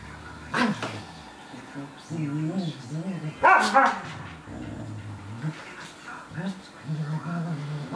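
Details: Czechoslovakian wolfdog Veni pestering Laki the Samoyed: low, wavering whines and moans in short bursts, with a sharp bark-like burst in the middle and a human voice in the background.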